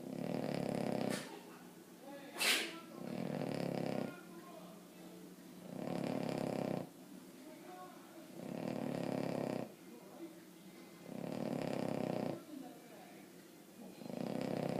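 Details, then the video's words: Emma Mae, a Boston Terrier, snoring loudly in her sleep: six regular rough, rasping snores spaced about two and a half seconds apart, with soft talking between them and a brief sharp noise early on. "Emma Mae snoring"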